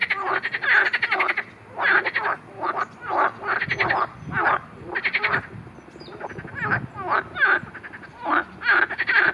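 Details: Marsh frogs, in footage that also covers a grass snake attacking one, calling steadily: rhythmic bursts of rattling pulsed croaks roughly every second, several frogs overlapping.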